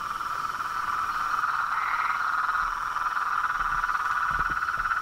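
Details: Chorus of toads, frogs and treefrogs, a dense, steady pulsing trill in a narrow mid-pitched band, with a brief higher rising note near the middle and faint low thumps toward the end.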